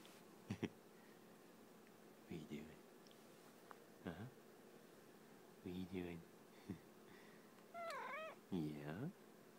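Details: Domestic cat making snuggle sounds while snuggling indoors: short soft murmurs, then a higher, wavering chirp-like meow near the end, with a person talking gently to it between the calls.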